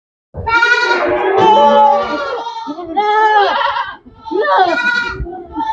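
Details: Goats on a goat farm bleating loudly: long, wavering, nasal cries with a trembling quality, several overlapping calls in quick succession with a brief pause near the end.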